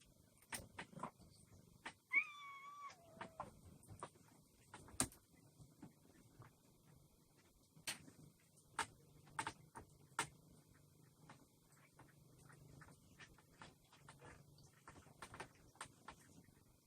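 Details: Cat filmed on a day of firewood delivery and lunch for yard and street cats. One clear, tonal meow that wavers and then slides downward, lasting about a second, amid scattered clicks, taps and knocking sounds in a quiet setting.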